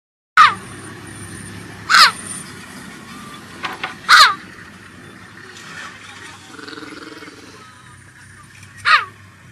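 A cheetah gives short, high, bird-like meows that drop in pitch, spaced a couple of seconds apart.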